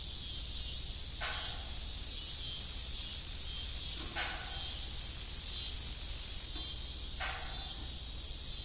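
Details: On an old family farm in the evening, crickets give an unbroken high, thin trilling hum, with three dull windmill clunks spaced a few seconds apart and no other voices.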